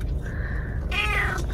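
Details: A 5-month-old blue-eyed, unneutered male Maine Coon, just arrived at his new home after a long journey, is very chatty. He gives a thin, drawn-out mew, then a louder wavering meow over low background hum.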